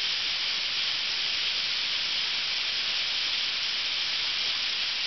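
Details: Massed cicadas in Ryokuchi park, North Osaka, at the height of summer: a continuous shrill wall of buzzing that stays level and unbroken from start to end, with no other sounds standing out.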